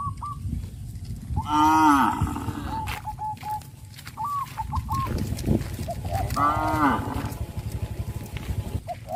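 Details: A herd of tame traditional village cattle calling to companions, going to green pasture each morning and back to the pen in the evening; two long, deep, wavering moos with chirping birds and steady low rumble between them.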